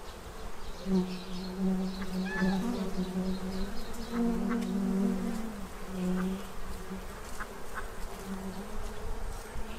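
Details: Low, continuous hum of bees feeding ahead of winter at a tray in Central Illinois; the drone wavers in pitch and loudness as insects move near, with faint background noise.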